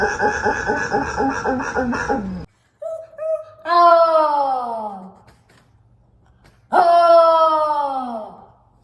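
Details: Dogs making weird sounds indoors: a clipped compilation with a long, wavering tonal wail, then two drawn-out moaning howls that slide downward over about a second and a half each, separated by quiet gaps.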